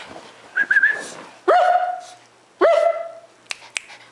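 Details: Pet dog in a playful bark exchange started by its owner, reacting as the camera moves closer: a short wavering whine, then two sharp, high, ringing barks about a second apart, followed by faint clicks.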